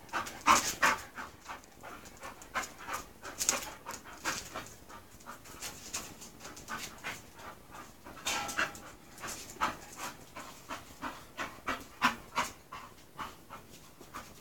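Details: English Bull Terrier Mush, a female close to her second season, meeting the male Spike: rapid, breathy, broadband panting bursts, roughly three per second, uneven in strength, with a few sharper louder huffs among them.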